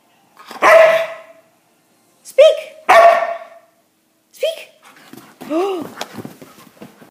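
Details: Siberian Husky barking on command: loud harsh barks at about one and three seconds, a shorter yelp between, then softer howl-like yips with rising-falling tones near the end; a person speaks before.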